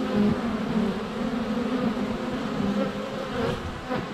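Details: Close-up buzzing of honey bees at the hive entrance on a sunny day in February, captured by a GoPro Hero 7 Black less than a foot from the hive; an unbroken low-pitched drone of many wings.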